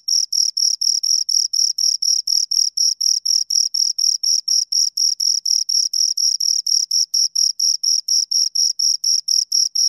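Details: Steady chirping from two crickets, roughly four shrill, evenly spaced pulses per second continuing without a break for ten seconds; no background noise, voices or other animals.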